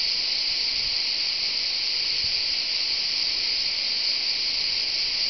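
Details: Cicadas at Châteauneuf-du-Pape, France, give a continuous shrill, high, even buzz with no pauses, the chorus holding one strong level throughout.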